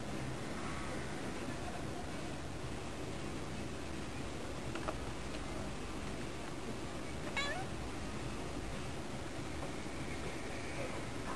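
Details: Yukke, a female cat, chatting at the window as she does daily toward birds, sounding slightly lonely and answering a person speaking to cheer her up; faint, drawn-out meows with soft harmonics under a steady broadband hiss, a few sharp clicks.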